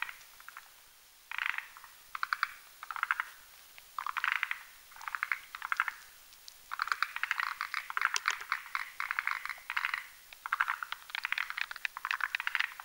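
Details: Several forest green tree frogs croak together at night while whipping a creamy foam nest with their legs on a branch above a marshy mountain pond. Dense, overlapping clucking pulse trains build into a near-continuous chorus.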